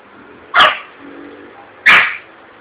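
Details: Yorkshire Terrier frightened by an exploding balloon in a shopping district of Vitória da Conquista, Brazil: two piercing barks about 1.3 seconds apart over steady background hum.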